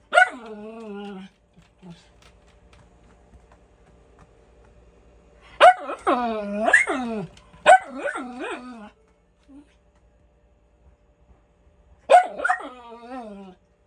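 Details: Miniature Schnauzer indoors, barking for no reason: loud harmonic barks with falling, howl-like tails, grouped in clusters of two or three, with quiet gaps between.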